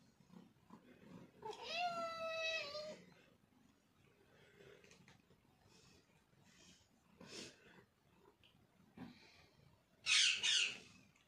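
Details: A Persian cat at breakfast indoors gives one drawn-out meow early on, followed by faint rustling, soft clicks and a short burst of hissing noise near the end.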